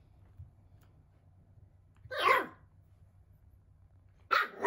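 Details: ['Shiba Inu puppy, 55 days old, living with an older mame shiba, on a drive outing meant to calm the older dog. Two short, sharp barks about two seconds apart over a steady low hum.']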